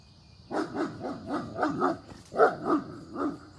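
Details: German Shepherd barking while guarding his puppy as a few deer show up for breakfast: a rapid run of about nine sharp, mid-pitched barks over three seconds, slightly irregular, with a steady high insect-like whine behind.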